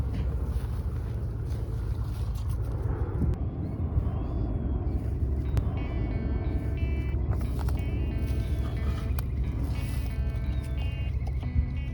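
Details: A steady low rumble lies under light music whose tones step through the second half, with no animal calls.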